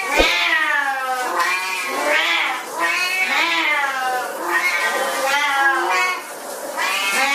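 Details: A domestic cat yowling in a long, continuous caterwaul, with loud, harmonic meows that swell and dip in pitch roughly every second and scarcely any pause between them.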